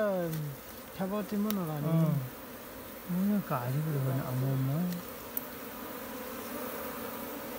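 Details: Swarm of wild honey bees being caught by hand from a jungle tree in Nepal. Two loud stretches of wobbling, shifting buzz from bees flying close give way to an even background hum.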